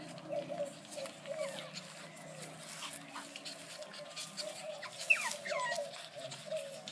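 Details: Brussels Griffon puppies make brief, high, downward-sliding squeaks and faint whines spaced a second or so apart, with a continuous background hum.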